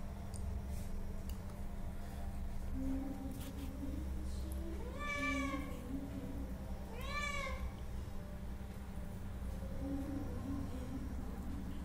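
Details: Hungry cats meowing for food let out two clear arched meows in quick succession, each rising then falling, with a faint low murmur and steady background hum.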